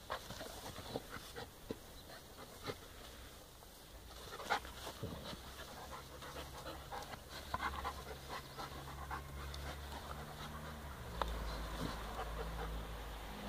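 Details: Puppy panting while two puppies play gently together on their fourth day; quick soft breathy bursts, irregular and fast, over a low rumbling background with occasional brief knocks.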